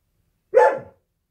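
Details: Indoor husky at home with its owner working from home gives a single short, harmonic bark-like woo, sharp in onset and quickly fading, with the room otherwise quiet.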